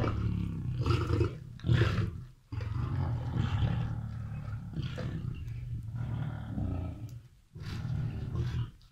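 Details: At Mount Etjo Safari Lodge, Namibia, free lions feed and fight over meat near a viewing cage; heavy low-pitched roaring and snarling comes in long waves, dipping briefly twice between surges.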